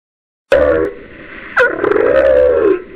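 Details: Humpback whale song recorded in 2009 about one mile off the coast of Kauai: after silence, a sudden moaning tone near mid pitch, then a second wavering, arched moan that rises and falls before fading into water hiss.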